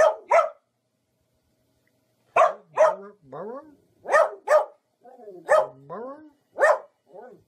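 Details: Domestic dog from a funny barking compilation giving sharp barks mostly in pairs, a pair roughly every one and a half seconds after an opening double, each pair trailed by lower curving whine-like or voice-like sounds.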